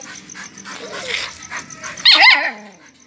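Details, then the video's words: Puppy making soft whines and muffled noises, then one loud, sharp, high-pitched yelp that bends down into a brief howling whimper before fading. "Puppy Barking, Cute Puppy Howling, Funny Puppy Barking, Dog Barking"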